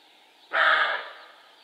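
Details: A roe buck gives one abrupt, rough bark that cuts in loudly, holds briefly and trails off, over a quiet background.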